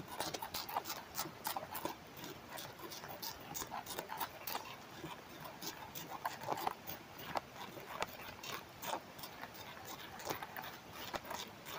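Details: Tobacco hornworm (Manduca sexta) larvae reared at home in Germany, summer 2023, feeding on a tobacco leaf, picked up by a headphone microphone pressed to the leaf: dense irregular crunchy clicks and snaps, some louder crackles standing out.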